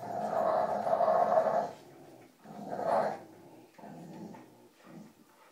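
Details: Playful growling as dogs Cujo, Kali and Lilly tug on a rope. A long, throaty growl is followed by a louder surge, then several shorter, fading rumbles.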